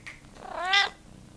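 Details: Pet cat talking with its owner indoors, giving a single rising then falling meow lasting about half a second, with clear harmonic tones, answering a spoken question.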